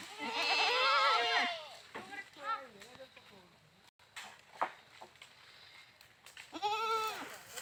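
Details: Goat giving a loud, drawn-out quavering bleat, then softer wavering calls and a pause, ending with another strong trembling bleat.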